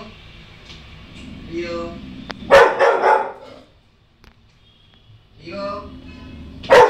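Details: Female Rottweiler puppy indoors, watching herself on TV and getting scared: two sharp, loud, broadband barks about four seconds apart, with a murmur of background TV sound between them.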